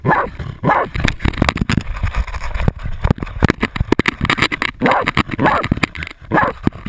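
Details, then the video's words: Jagdterrier holding a 250 lb boar at bay, recorded on a GoPro camera: scattered short harsh barks in small bursts, separated by stretches of rustling, scuffling and knocking noise. "Insane jagdterrier Otto baying a 250 lb boar"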